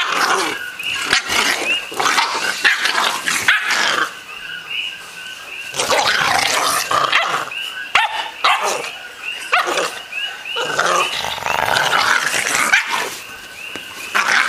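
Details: Eight-week-old American Bulldog puppy play-fighting with an older dog, a year-old companion: rough growls and short sharp barks come in noisy bursts with brief pauses, while a thin steady tone runs underneath.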